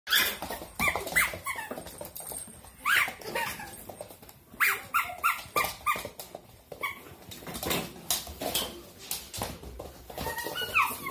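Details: Dobermann playing with a toy dog, giving repeated short high whines and yelps amid squeaks and rustling, with several bursts over eleven seconds.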